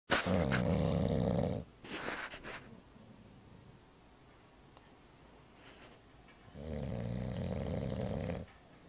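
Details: Bulldog snoring indoors; long, rough, low rumbling breaths, each lasting over a second, separated by quieter pauses, with faint noise between.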